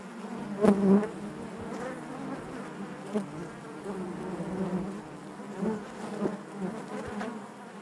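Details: Dense low hum of a honey bee colony within the hive, continuous droning with several short louder swells and faint clicks scattered through.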